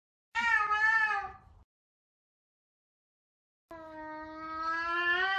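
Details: Sabian, a very vocal Savannah cat, searching for his companion Sabina; a loud meow that tails off, then after a gap a long, steady, slowly swelling meow.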